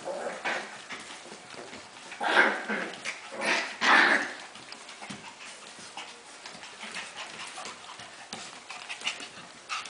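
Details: Havanese puppies letting out two louder whining, whimpering bursts in quick succession, then quieter scattered squeaks and shuffling movement.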